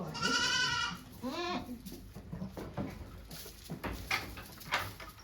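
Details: Goat in labour on a Japanese farm, 3 May 2023, delivering two kids as volunteers look on; a strong nasal bleat followed by a shorter falling one, then rustling and low voices.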